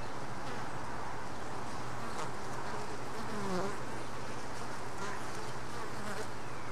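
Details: Honey bees at a hive box, where one worker brought in a mite and tried but failed to dislodge it. Dense, steady low buzzing hum with a constant drone line, a few faint chirping squeaks midway, and light clicks above.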